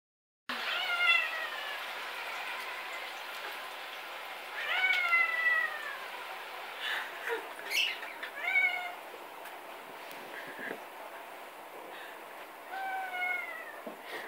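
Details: Female domestic cat yodelling: warbling meows that waver and bend in pitch, in several bursts about four seconds apart, with a person laughing afterwards.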